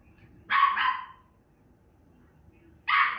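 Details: Female Miniature Schnauzer barking while watching herself on TV: one sharp double bark, a pause of about two seconds in a quiet room, then a second bark begins at the end.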